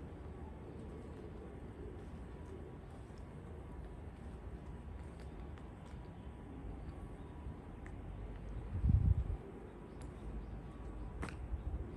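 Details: Quiet outdoor ambience dominated by a steady low rumble, with a brief louder thump near the nine-second mark and a few faint clicks; no animal calls are heard.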